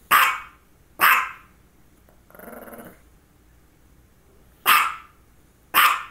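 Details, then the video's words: Female dog barking between two focal seizures; four sharp barks, two close together, a pause with a soft murmuring sound, then two more barks spaced about a second apart. "Barking and two focal seizures"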